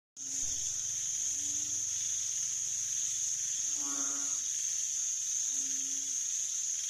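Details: Banded bullfrog calling on 18 September 2023: low, nasal, drawn-out moans of about half a second with rich harmonics, two strong calls near the end after fainter ones, over a loud, steady high-pitched insect chorus.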